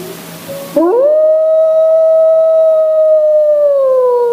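A Great Plains wolf gives a long, smooth howl that swoops up and holds a steady pitch.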